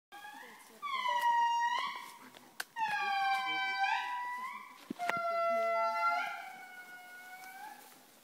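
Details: An indri in Andasibe, close to the listeners, howls in loud, eerie wails, each long note sliding downward, in three drawn-out phrases.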